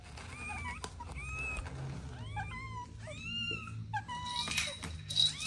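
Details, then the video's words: Kittens playing with their mother and two siblings: a run of thin, high, arched meows, some short and some drawn out, several overlapping from more than one kitten, over a low steady background hum. "Relaxing Cat Video 4K: Adorable Kittens Playing with Mom & Two Siblings | Soft Meows"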